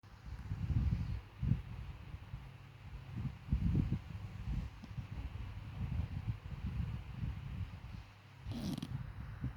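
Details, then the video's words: Namchok, a dachshund, asleep on a sofa, snores in soft low rumbling breaths that swell and fade irregularly, about one each second, with a brief brighter rustle near the end. "Namchok love sleep on sofa and snore"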